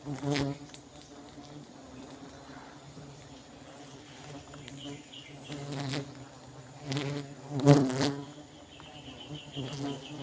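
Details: Honey bees buzzing during a honey harvest from a colony: a steady low droning hum with layered tones, swelling louder in passing bursts, over broadband rustling and handling noise.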